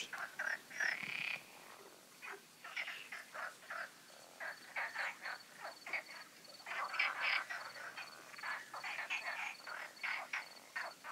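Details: Night-time frog concert from the ponds of the Magic Oasis, recorded the night before the full moon: many frogs croaking in rapid, overlapping bursts, several per second, with a faint steady high whine behind.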